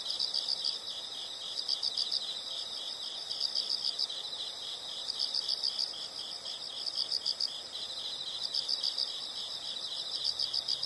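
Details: High, bright pulsed chirps from insects come in short clusters of four or five roughly every one and a half seconds, layered above a continuous ringing background chorus.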